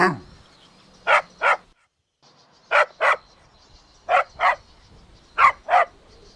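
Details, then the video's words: Golden Retriever puppies running and playing in a green meadow; sharp, short yips in pairs, each pair about every 1.3 seconds, with quiet gaps between. "Adorable Golden Puppies Playing Outdoors | Relaxing Dog Sounds"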